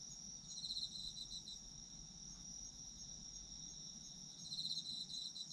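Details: Autumn insects sung for sleep relaxation: a steady high chirring chorus with pulsed trills near the top of the range, swelling briefly at the start and end, over faint low background rumble.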